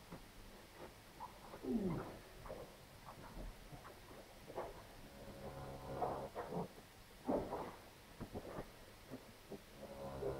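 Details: A cow, a problem heifer in difficult calving on a Polish farm, gives low, strained groans and a falling moan in short bursts over a noisy background.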